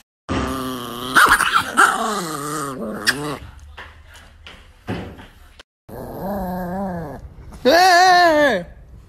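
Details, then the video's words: Nikki, an angry pet Chihuahua, grumbles in a string of drawn-out, wavering growl-whines that rise and fall in pitch, with pauses between bursts and a loud, strained final outburst. "the most angry nikki chihuahua compilation"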